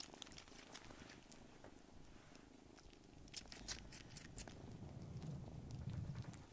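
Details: Foster kittens piling onto their carer's lap in a small room give a low rumbling purr that swells toward the end, accompanied by light rustles and small clicks.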